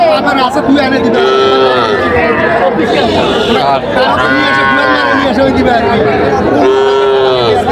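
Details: Cattle, small bull and heifer calves, at a crowded livestock market in Comilla, Bangladesh, on 28 June 2025. Two drawn-out, steady moos sound, one early and one near the end, over continuous bargaining voices and crowd chatter.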